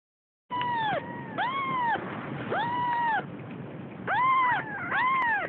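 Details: Siamese kitten, a female almost three weeks old, beginning to explore and finding the world scary: five arched, harmonic meows, each about half a second, rising then falling, spaced roughly a second apart over a faint background hiss.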